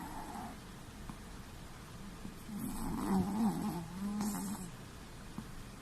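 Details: Snoring Chihuahua at rest, a soft breathy intake followed by a buzzy, rattling snore and a shorter second snore, quiet room in the background.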